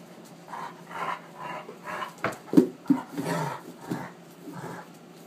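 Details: At night, Sakima the wolf hybrid romps with a female Alaskan Malamute, caught on iPhone: a rapid run of short panting grunts and huffs, with a few sharper yelps mid-way and scuffles between.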